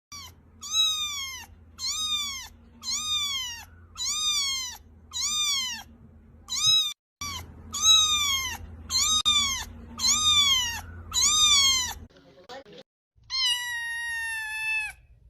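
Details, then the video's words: Mixed-breed kitten mewing repeatedly, about once a second, each meow a clear harmonic cry bending down in pitch, a short pause near seven seconds, then a longer, steadier final meow; faint low hum underneath. "miaw... suara anak kucing ngegemesin banget."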